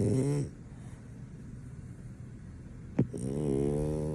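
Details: Sleeping French Bulldog that nothing can wake, giving a loud rattling snore, a hushed gap, a brief sharp snort, then another long droning snore.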